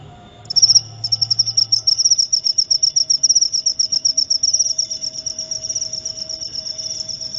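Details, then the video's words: Cricket song for insomnia relief and repelling rats: after a brief quiet start, a high pulsed trill begins and continues in fast, even beats at an unchanging pitch. "Suara Jangkrik untuk pengusir tikus & therapy insomnia"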